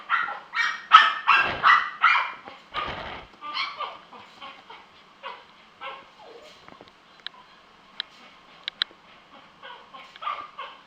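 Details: Puppies at a pet shop in Kanagawa, Japan; a run of high, sharp yapping barks in quick succession that fades into softer yips, with a few faint clicks and thin whines later on.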